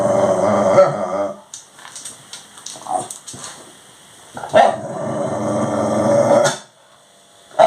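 A Labradoodle makes long, drawn-out whining groans with a growly edge, begging for its dinner.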